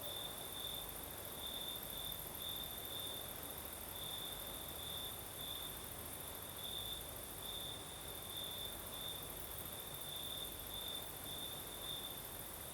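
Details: Southern Crimea at night with crickets singing and a night breeze: an unbroken series of high, ringing trill bursts, each under a second, running steadily across the recording over windy hiss and a faint very high insect drone.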